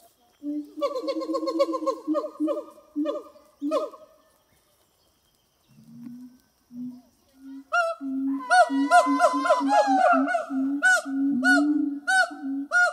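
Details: Two siamang gibbons at a zoo in France sing together on a hot summer morning, 6 August 2018, in loud, rapid, harmonic hoots that swell into rising, wavering barks and whoops.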